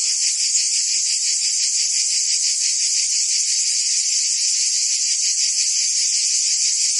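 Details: In Provence, France, cicadas sing through a summer day: an unbroken, high-pitched rasping drone with fast rhythmic pulses, loud and even from start to finish.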